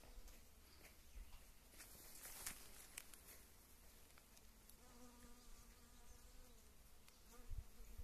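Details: A western honey bee foraging on blooming wild mustard in early spring, in queen-rearing season, hums past with a steady, low wing buzz that swells briefly over soft wind rumble.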